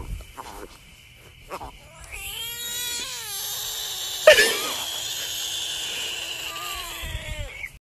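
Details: Screaming bullfrog giving a long, loud, drawn-out wail with rich harmonics, lasting about five seconds with slight wavering and a sharp burst midway. Short tonal notes and a steady high whine come before it.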